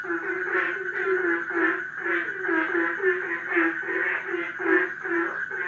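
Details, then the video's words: A crowded frog chorus in a pond: throaty, rattling croaks pulse in regular bursts about twice a second, overlapping into a constant din, with a faint steady high tone behind. "Herd of Frogs in the pond"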